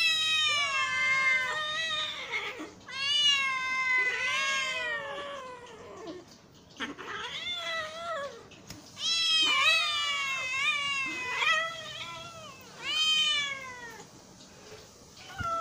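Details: Hungry cat meowing repeatedly over about sixteen seconds, insistent arched cries in quick runs, some wailing and wavering, separated by short gaps.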